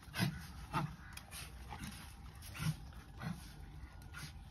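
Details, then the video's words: Puppy giving short soft yips about once every half second, low and brief, over steady low hum. "Puppy poty"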